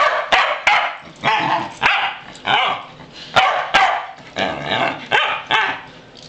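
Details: Three Pembroke Welsh Corgis on a farm, excited as they are taken outside, barking repeatedly in sharp bursts about every half second, overlapping yips from more than one dog, with a few clicks in the background.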